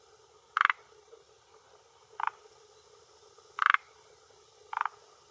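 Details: A male forest green tree frog (Rhacophorus arboreus) gives short, raspy croaks spaced one to two seconds apart. He calls with his throat vocal sac at a hillside pond shore in Japan, around 18:10 in early June, to claim territory and attract females.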